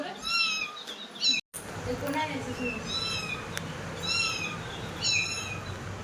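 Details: Cat, said to be crying, caught by forest department workers after scratching a family member who was hospitalized; a series of high, harmonic meows repeated about every second, with people talking and shouting close by.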